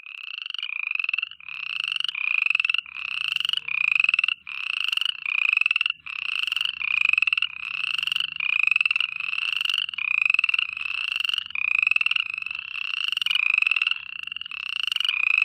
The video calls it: FROGS NIGHT TIME AMBIENCE SOUND EFFECT (HD) - All-round Sounds